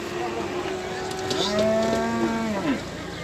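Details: Simmental calves for sale at a livestock market in Beylagan, Azerbaijan, 27 May 2021: one drawn-out, low mooing call starts halfway through and holds steady for about a second before breaking off, over busy market chatter and background noise.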